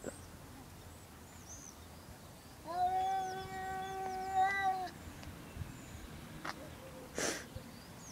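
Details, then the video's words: Two domestic cats making strange noises: a sustained, steady-pitched wailing howl of about two seconds with rich harmonics, a slight waver at its end, faint high chirps from other sounds around it, and a brief noise burst near the close. "Two cats making STRANGE noises"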